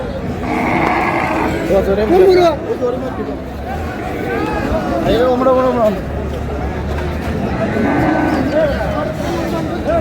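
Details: Bulls bought in lots by a farmer in Chattogram, Bangladesh, at market ahead of Qurbani, 7 May; several drawn-out moos with curved harmonics rise and fall over steady crowd chatter and men's voices, a constant low hum beneath.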